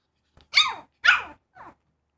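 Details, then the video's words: Pug puppy barking: two sharp, high, rasping barks about half a second apart, followed by a softer, shorter third yap. "Cute Pug Puppy Barking"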